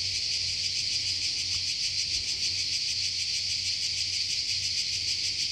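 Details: Cicadas calling in a forest in Croatia, a steady dense buzzing hiss that fills the air without pause, pulsing rapidly and evenly; no other clear sounds beyond a faint low hum.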